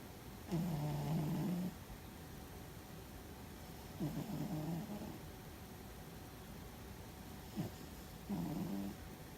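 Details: Loud snoring from Fuzzy, a domestic cat deep in sleep and apparently dreaming: three long, low, raspy snores, each over a second long, separated by quiet gaps of about three seconds.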